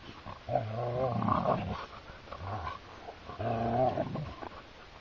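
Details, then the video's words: Siberian Huskies, two dogs, wrestling in play on open heathland: long, drawn-out, harmonic growl-howls, rising and falling, in three bouts, with a woman's voice briefly heard afterwards. "Our Siberian Husky gang : Laika is pulled into a little playfull fight by Tikka"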